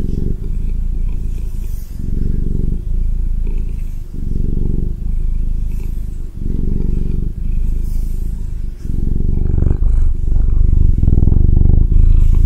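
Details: Close, loud purring of a Ragdoll cat: a deep, fast-throbbing rumble in long breath-length phases of one to two seconds, brief dips between them, growing heavier toward the end, slight handling rustle.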